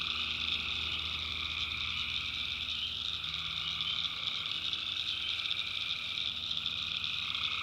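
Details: Many tree frogs calling together after dark in the backwoods of North Carolina. Their high, continuous trill fills the swamp, and a lower buzzy voice comes and goes over about eight seconds.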